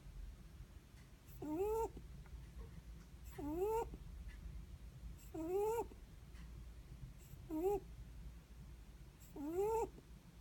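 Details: Sleeping Netherland Dwarf rabbit snoring: a whistled, slightly rising nasal squeak with a breathy edge, about half a second long, repeated roughly every two seconds over a low steady indoor hum.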